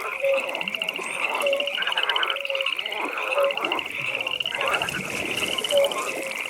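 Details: Several frogs at a night pond: a dense, rapidly pulsed high trill carries through, while brief whistled mid-pitched notes come roughly every second.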